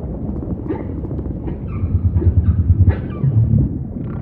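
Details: Humpback whale song with a run of quick, throbbing low pulses and a few faint higher wavering cries above, set against constant deep underwater rumble.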